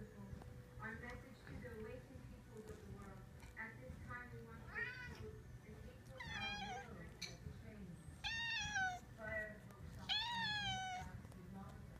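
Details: Two cats named Cisco and JJ meowing indoors, several harmonic, arching meows growing louder and longer toward the end, over background talk and low hum.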